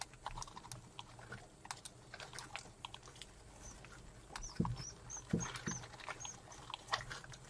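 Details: Pet mice mating indoors: short, faint, high whistled squeaks come in a small cluster midway, set among scattered clicks, scratching and rustling.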